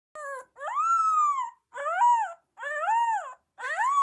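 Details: Young Rottweiler giving a run of loud, drawn-out whining howls, each arched upward then falling, about four in a row with short gaps, strongly harmonic and clear with no other sounds.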